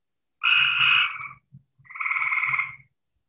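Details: Cope's gray treefrog call played in a Michigan herpetology talk, described as more abrasive than its eastern cousin, not chirpy or pleasant, like yelling; two harsh, buzzy, rapidly pulsed trills of about one second each, separated by a short pause.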